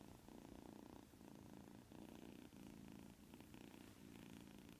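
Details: A white kitten asleep and snoring indoors, with a soft, low, raspy breathing sound that swells and fades in steady cycles about once a second. No other sounds stand out.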